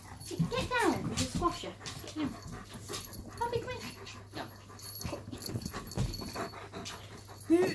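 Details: A German Shepherd and a Chihuahua squabble over their owner with irritated grumbling at each other. Short whiny grumbles and growly vocal bursts come amid panting, rustling and people talking in the background.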